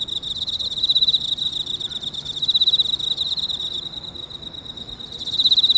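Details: Early morning in a park, 6:54 on 30 August 2018: an Emma field cricket sings from inside a hole. Bright trilled chirp bursts, pulsing quickly, fade to a quieter steady ring, then return loudly near the end.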